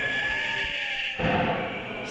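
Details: A female koala in Australia gives a harsh, buzzy, bleating wail that shifts to a rougher tone partway through, a somewhat creepy call said to relate to whether she wants to mate.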